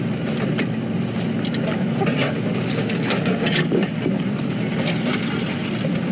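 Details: A vehicle engine idles and rumbles steadily throughout, with scattered faint clicks and crackles. No animal voice stands out above the engine noise.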